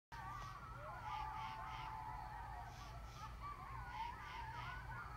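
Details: At 10 PM in northern Rhode Island, after a police siren, a group of coyotes including grown pups breaks into wavering howls and quick yips, overlapping voices rising and falling over a steady low rumble.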